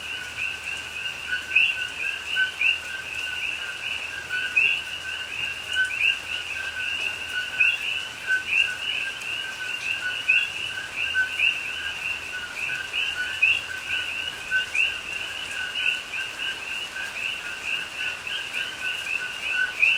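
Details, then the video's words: Rainforest at Pahoa, Hawaii, October 2021, at night in rain: a sustained chorus of coqui frogs. Countless overlapping two-note calls, a steady lower tone paired with an upward-sliding higher note, over gentle rainfall. "Hawaii Rainforest Rain and Coqui Frogs Sounds"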